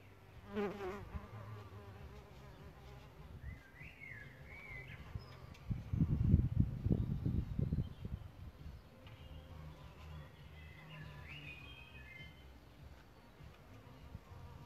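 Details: Solitary bees nesting in a bug hotel: a low, humming buzz with a steady drone that swells into a louder, rough burst of wingbeats around the middle, while birds chirp and warble faintly in the background.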